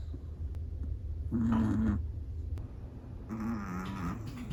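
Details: Chihuahua snoring in its sleep, two drawn-out buzzy inhalations about two seconds apart, soft and nasal, over a quiet low background hum.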